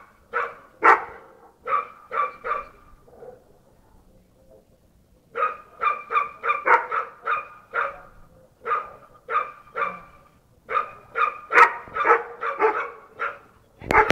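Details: A Bull Terrier, said to bark like this all day long, barks in sharp, repeated bursts, several quick barks at a time with brief pauses.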